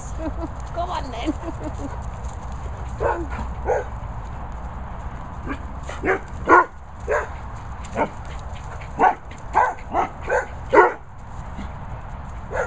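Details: Bumble Hole guard dogs, at a licensed training and boarding kennels in rural Worcestershire. Scattered barks early on build into a run of loud, evenly spaced barks, about seven within five seconds, over a constant low hum.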